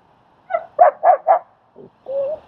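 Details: Dog barking during a training and socializing session in Queens, New York, where Strike, a German Shepherd, helps train a shy dog named Leonidas: a single yip, then three quick mid-pitched barks, a soft grunt and a short whine.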